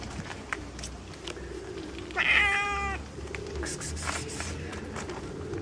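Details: Fluffy kitten, purring and playing with fingers, lets out a single short harmonic meow midway, with a steady low hum, light clicks and handling rustles throughout.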